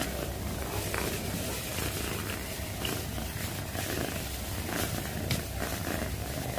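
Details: Steady purring from a pet cat, a deep continuous rumble with a fast, even throb and faint light clicks on top, holding an unbroken level throughout.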